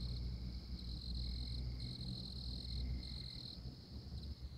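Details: High, buzzing trills from a tree frog in Oklahoma come in four quick bursts under a second long, over a continuous insect drone and deep rumbling noise.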